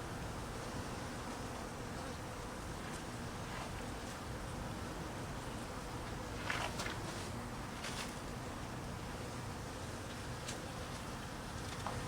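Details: Even, unbroken droning of many honey bees, hungry in cold weather as they are fed; faint brief clicks and ticks sit above the low hum.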